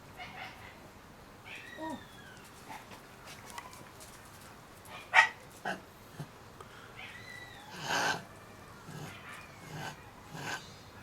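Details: Thirty-day-old Shiba Inu puppies let out scattered high, curving whines and squeaky yelps, with one louder cry midway, between faint rustling and shuffling sounds.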